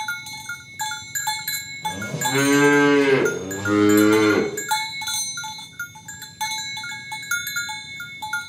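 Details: Two long, deep moos, one right after the other, come from a cow in a tame herd being walked along village roads to the pen in the morning, with cowbells jangling steadily throughout.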